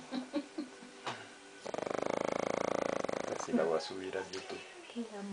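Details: Sleeping dog snoring indoors, a run of rapid, regular rasping pulses lasting under two seconds, with people talking softly before and after.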